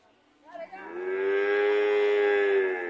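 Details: Red cow coming home, giving a single long, steady, droning moo that swells in after a short rise and holds level for about two seconds.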